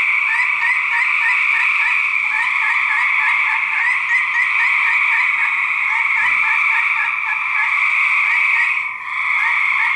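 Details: Male gray treefrogs fighting in 2010: steady pulsed trills from overlapping frogs, fast repeated beads of sound forming a continuous chorus, with a brief thud and a short drop in loudness near the end.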